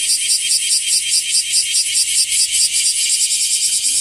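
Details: Singing bear cicada, the wasiwasi, now increasing, found in trees and grassy patches: a harsh high-pitched buzz pulsing rapidly and evenly, about two to three beats per second, continuous and close.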